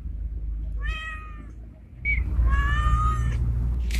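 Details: Bengal-looking male street cat calling a female while in heat, giving a wavering meow, then a brief chirp and a loud, sustained, slightly rising yowl, with steady low-frequency hum behind.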